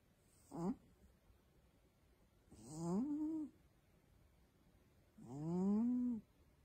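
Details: Female cat asleep, making three drawn-out, nasal, wavering snore-moans about two and a half seconds apart, each swelling and bending up then down in pitch, with quiet pauses between.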